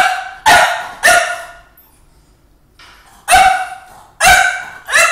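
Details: A French Bulldog barks at his reflection and at a recording of himself, giving two loud barks close together, a quiet gap of nearly two seconds, then three more spaced barks, each abrupt and raspy.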